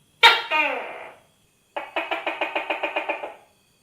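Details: Tokay gecko giving one loud two-note call with a bright attack and falling tail, then a quick rattle of about eleven rapid pulses.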